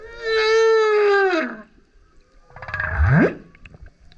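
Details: Male humpback whale singing loudly while surfacing beside a kayak: a long harmonic moaning tone falling at its end, then after a pause a low grunt sweeping sharply upward.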